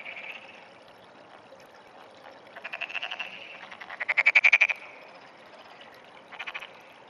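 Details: Frog calling frequently on an early morning in June 2009, giving rattling pulsed trills that swell in loudness, with one strong burst midway and a shorter trill near the end.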